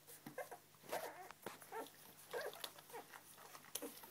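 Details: English Springer Spaniel puppies taking their first steps: short, high squeaky whimpers and whines come in brief bursts about once a second, mixed with soft clicks, shuffling and scrabbling sounds.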